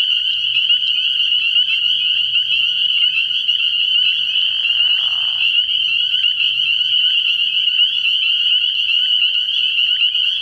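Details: Spring peepers at a frog pond at night in early spring, their many high shrill peeps fused into a steady ringing drone; a lower rasping burst rises midway, with soft low croaking in the background.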